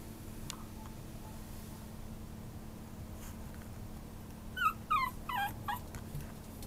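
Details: Maltese-Chihuahua mix dog giving four short, high, falling whimpering yelps close together near the end, after a long quiet stretch with a steady low hum in the background.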